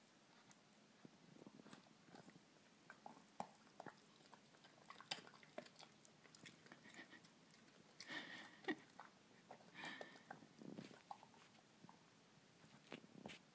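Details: Dachshund. A Dachshund eats a snack, producing irregular crunchy bites and soft smacking chews. The sounds come in quick bursts with short pauses, close up in a quiet indoor space.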